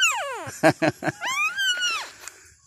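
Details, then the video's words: A two-day-old Thai dog puppy, one of five with their mother, gives a close, loud falling whine, then three short rough pulses and a rising, sustained squeal that fades. "My cute Thaidog puppies just born."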